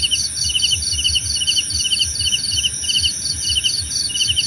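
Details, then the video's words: Cricket chirps as soothing nature sound, crisp high pulse-trains repeating a few times per second above a steady insect drone, with faint low murmur beneath. "Suara Jangkrik Membahana!"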